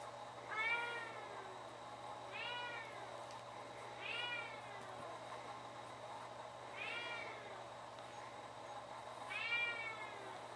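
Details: Scottish Fold cats meowing; five rising-then-falling meows spaced about two to three seconds apart over a steady low electrical hum.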